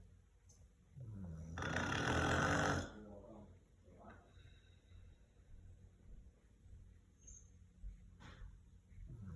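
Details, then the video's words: Zeke, a sleeping golden retriever said to snore like a human, gives one loud, rough, broad snore lasting about a second, followed by softer low breathing. "Meet the golden retriever who snores like a human"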